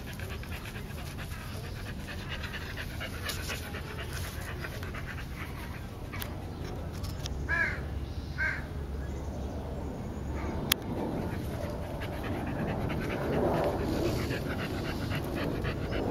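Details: Three Olde Boston Bulldogges at play, two brothers and their white sister aged 1 year 8 months, July 2012: steady rough panting and scuffling, with two brief whiny yelps near the middle.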